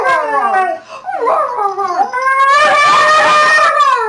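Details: Siberian Husky available for adoption from a rescue, vocalising in conversation with a volunteer: a loud, wavering, harmonic-rich howl-talk that dips and rises over four seconds, ending in a sustained, slightly sliding tone.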